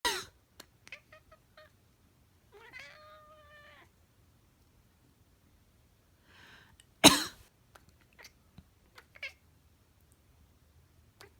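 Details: Black domestic cat indoors chattering after its owner sneezes or coughs: a short rising-falling tonal meow-like trill near the middle, brief chirps, and a loud human sneeze burst followed by faint clicks in a quiet room.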